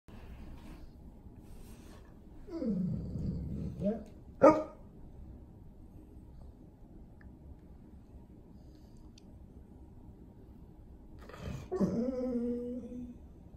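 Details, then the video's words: Male Golden Retriever indoors, crying for attention because he wants to go outside; two bouts of low, drawn-out whining with dipping tones, separated by quiet, the second a steadier moaning whine. "Golden Retriever crying for attention!!!"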